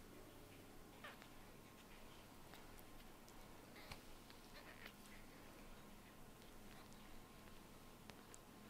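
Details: Baby kitten, eyes newly opened, sleepy and yawning indoors; faint, short, high mews and squeaks scattered through the clip, quiet against a steady low room hum with small clicks and rustles.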